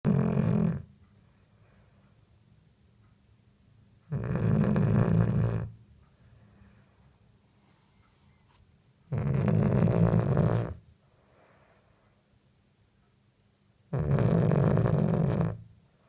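A Cavalier King Charles Spaniel snores in deep, rumbling breaths, each lasting over a second.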